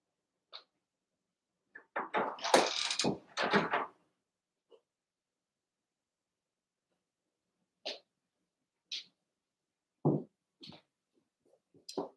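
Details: Cavalier King Charles Spaniel puppies Cooper, Conner and Jenny, born 06/09/2022, Ruby and Blenheim coats, heard overnight on a puppy cam: a burst of loud overlapping yelps and whines early on, then scattered short yips and squeaks spaced irregularly.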